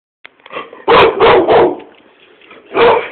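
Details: Irish Staffordshire Bull Terrier patrolling its owner's yard on guard, giving a burst of loud, harsh barks: three quick barks in a row, a pause, then one more bark, with faint room echo.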